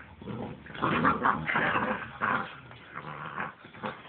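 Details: A 7-week-old puppy biting and playing with high energy alongside an adult Husky; rough, throaty growling and grumbling in dense bursts for about three seconds, easing off toward the end.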